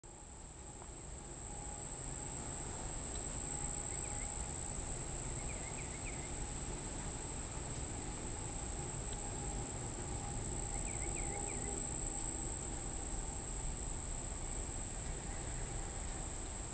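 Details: An unidentified insect gives a steady, very high-pitched monotone buzzing whine without pause, recorded near Monticello Lake, Arkansas, at 6:31 pm on July 14, 2012.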